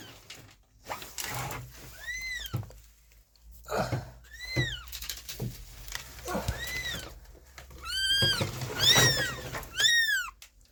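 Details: Abandoned kitten found freezing in the snow after two days at -11°C and rescued: a string of about eight short, arched meows, coming faster near the end, with rustling and thumps between them.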